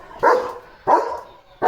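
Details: Leo the German Shepherd reacts to a tractor passing the house with three deep, loud barks about two-thirds of a second apart.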